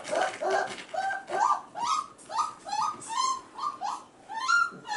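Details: Goldendoodle puppies, F1b, five and a half weeks old, indoors; male puppies crying in the background while females play with children. Repeated high whimpering cries with harmonics, roughly one every second, with faint bustle of the room.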